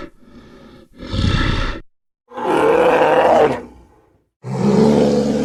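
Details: Brown bear roaring in three loud, rough bursts of about a second each, separated by short silences, with a hoarse, harmonic edge to each outburst.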